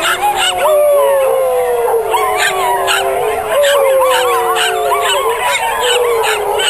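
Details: Miniature Schnauzers howl together in long, wavering, overlapping tones that slide slowly downward during a singing contest at a 2010 Portland schnauzer club walk, followed by applause.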